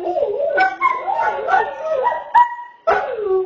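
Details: Greyhound "roo" vocalising: wavering, sliding howled notes broken by a few short sharp yips and a brief pause, then the howl resumes and falls away.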